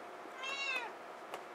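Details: A pet kitty indoors, teased for liking to yell, gives a single soft, drawn-out meow that rises then falls, faint over a quiet room hum.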